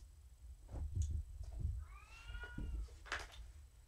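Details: Indoors in the evening, Morticia the pet cat gives a single smooth, slightly arching meow amid soft thumps and rustling of handling, followed by a brief hiss-like scratch of movement.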